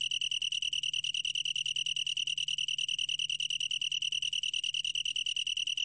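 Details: Long-tailed tree cricket song from a 2020 recording: a steady, high, ringing trill pulsing about ten times a second without a break, pure and tonal, with no other sounds.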